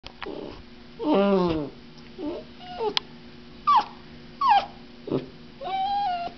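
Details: Female puppy whining as she is shaken: a loud drawn-out falling whine, then shorter squeaky yelps and bent whistling whines, ending on a thin sustained whimper, indoors.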